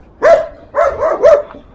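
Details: A young German Shepherd puppy in Irkutsk, Siberia, gives a quick run of high, yappy barks at a passer-by during the first snowfall season, barking a lot.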